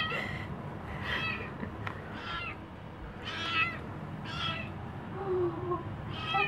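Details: Kitten named Wallie greeting its owners as they return home from a weekend trip, meowing repeatedly: short, high, somewhat strained meows about once a second over a steady indoor background hum.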